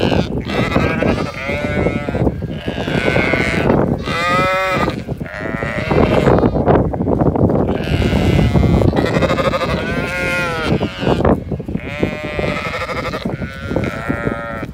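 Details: Flock of Zwartbles ewes hurrying across to the evening field for their meal on a Kilkenny farm in Ireland; repeated quavering bleats from many sheep, overlapping in bursts about every second or two over constant shuffling noise.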